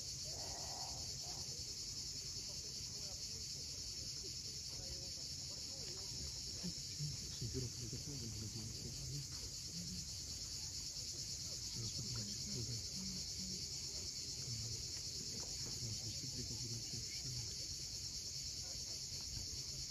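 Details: Cicadas keep up an even, shrill buzzing at sunset on the cliffs of Cape Fiolent, Crimea. Waves wash in a low rumble below, and short soft bird calls appear now and then.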